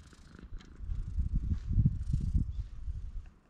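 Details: Purring from a stray cat on a cat island in sunshine: a deep, throbbing rumble that builds to a louder middle stretch, then fades away, with light rustling above.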